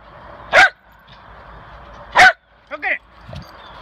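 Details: Lakeland Terrier, Lucy or Ruby, playing frisbee: two sharp, broadband barks about one and a half seconds apart, then a brief voice-like sound and a faint low thump.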